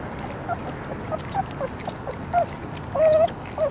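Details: Three-week-old puppies squeak softly in a litter, giving short thin whines and rising-falling squeals scattered over a few seconds, the longest a drawn-out whimper near the end, against a faint steady background hiss.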